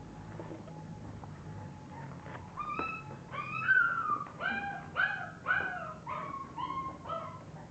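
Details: Litter of English bulldog puppies: after a quiet start, a burst of high, whining yelps and whimpers, each rising then falling, about eight in quick succession over five seconds, over a faint steady hum.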